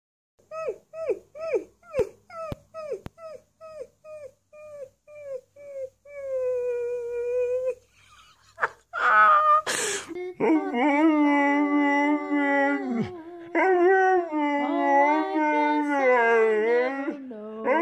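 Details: Siberian Husky indoors starting with a run of short, rhythmic yelps, then breaking into long, sustained, wavering howling screams rich in overtones, broken by a brief clatter midway.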